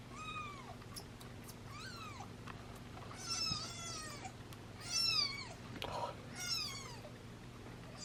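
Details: A litter of seven British Shorthair kittens being syringe-fed formula alongside their nursing mother: clear, high, arched mews about once a second, some overlapping and louder in the middle, over a low hum and some handling rustle.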